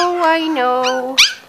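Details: Five-week-old Corgi puppies from the Sugarbaby litter give a long, drawn-out whine that slowly sinks in pitch, ending in a sharp, high squeal, while a soft human voice murmurs nearby.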